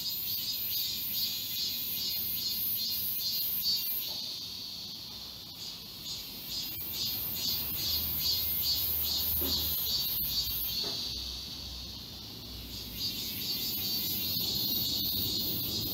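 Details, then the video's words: Forest chorus of cicadas during summer at Galsan Park, Mokdong, Seoul; a loud shrill drone throbbing in regular beats about twice a second, easing briefly midway before surging again, with faint low rumble and footstep-like clicks. "매미울음소리. 한여름의 청량제와 같은 천사들의 찬가. 갈산공원 매미들 숲속의 합창"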